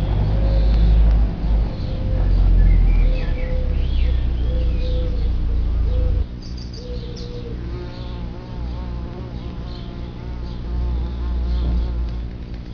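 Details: Bumblebees flying in and out of an underground nest sheltered by an inverted clay pot, their buzzing amplified through it: loud, deep droning hum in short repeated bursts, then quieter passing buzzes later, faint birds behind.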